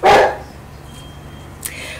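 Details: A big dog gives one gruff, low bark at the very start, followed by near silence with a soft background hum and a small click near the end.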